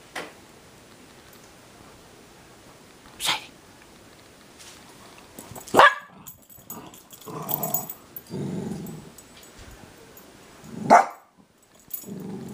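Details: Pet dogs Max and Sadie, a German shepherd and a dachshund, at home, one alert to something outside, identified aloud as a mourning dove; a few sharp, isolated barks spaced several seconds apart, with a woman's talking voice between them.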